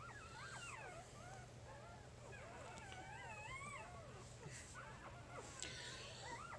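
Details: Newborn puppies of Jig's litter, three days old, squealing almost without pause: overlapping high, wavering whimpers rising and dipping several times a second, with occasional rustling handling noise and a low background hum.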